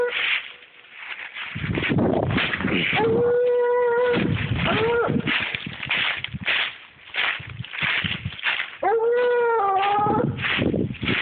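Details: A 7-year-old Treeing Walker Coonhound trail dog: a few held, slightly wavering bawls break through a dense, continuous stretch of rough, choppy barking and noise.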